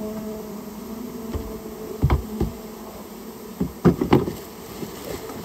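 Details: Japanese honey bee colony that had nested inside someone's storehouse, buzzing during its removal; a steady low hum with an overtone above, broken by loud knocks and thumps around the second and fourth seconds.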